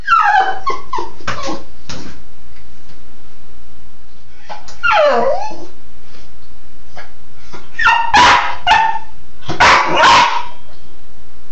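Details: A Cairn terrier playing in the shower gives bursts of sharp, high barks mixed with falling whines and yips.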